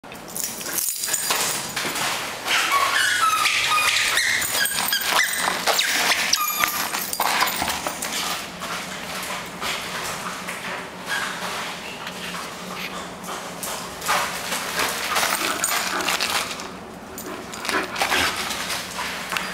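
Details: Energetic Bull Terrier playing at home, giving high squeaky whines and yelps in bursts over constant scuffling, rustling and thumping play noise indoors.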